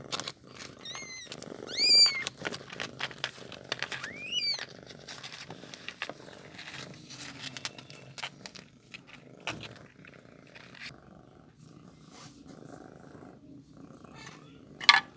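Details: Newborn kitten being fed milk, giving several short, high-pitched mews that bend up and down in the first five seconds, then quieter rustling and clicks, with a final sharp squeak at the end.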